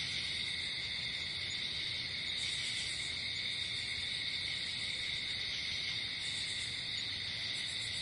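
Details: Crickets at night, heard outdoors in nature: a dense, continuous, high-pitched chorus of chirping forms several layered bands at steady pitch without a break, with a soft hiss of low background noise underneath.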